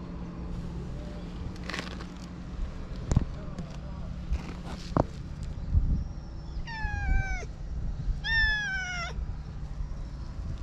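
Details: Stray community cats, recorded on a GoPro: after several seconds of low rumbling background and scattered clicks, two drawn-out, harmonically rich meows, each bending slightly downward, sound about a second and a half apart.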